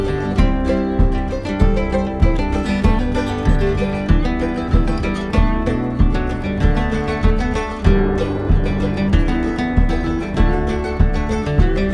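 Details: Lively strummed acoustic guitar music in a flamenco style, with a steady rhythm.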